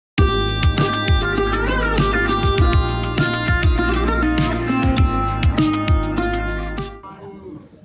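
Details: Plucked-string music with a steady beat and a faint voice, ending abruptly just before eight seconds.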